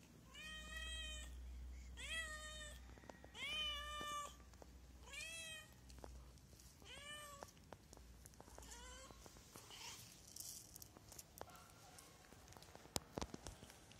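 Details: A hungry stray cat calls in a rapid series of six or seven meows over the first half, then quieter clicks, rustling and handling noises follow with no further calls.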